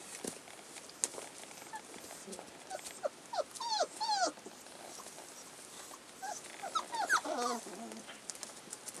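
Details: Collie pups aged 35 days, filmed 16 February 2012, let out bursts of thin falling whines and squeaks in two clusters, over steady background hiss and clicks.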